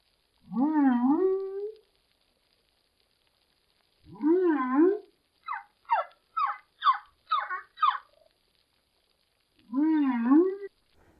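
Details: A humpback whale song phrase mixing two sound types with silent gaps between: long wavering low moans alternating with a run of short, high squeaks.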